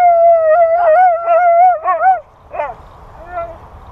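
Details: A husky sings a long, wavering howl, then trails off in softer broken notes.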